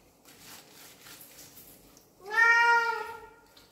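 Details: A house cat that always meows when people are near lets out one long, steady, clear harmonic meow after a quiet, faintly noisy stretch, then falls silent.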